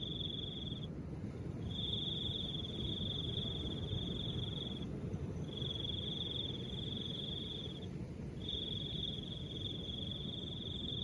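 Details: Cricket song in a light wind: a short trill, then long high even trills of two to three seconds with short breaks, over a continuous low windy background.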